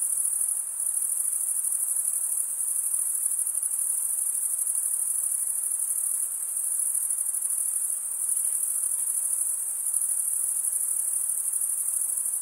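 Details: Chirping of crickets, said to be mostly males stridulating by rubbing one wing against the toothed vein of the other; a steady, dense, very high-pitched trill runs without pause, no other sounds heard.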